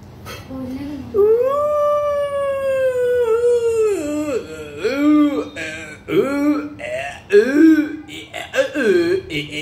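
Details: A 2.5-month-old German Shepherd puppy gives a long, drawn-out howl that rises and holds steady, then breaks into several shorter wavering yowls and yips near the end.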